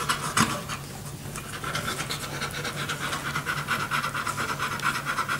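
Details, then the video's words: Quick breathy panting from puppies two weeks old, born to Crystal and Yale. Soft rhythmic huffs repeat slightly faster than twice a second after a short scratchy bump at the start, with a steady background hum. "Crystal and Yale puppies 2 weeks old"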